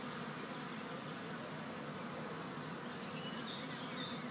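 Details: Honeybees in a large swarm collected on World Bee Day 2019, giving an unbroken, thick hum of many wings, even and constant throughout, with occasional higher-pitched passes of single bees.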